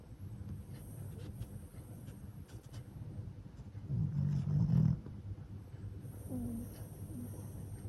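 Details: Shih Tzu × Pekingese cross, a flat-faced dog, snoring in sleep after tiring play; soft low breathing rumble with one louder snorting snore around the middle.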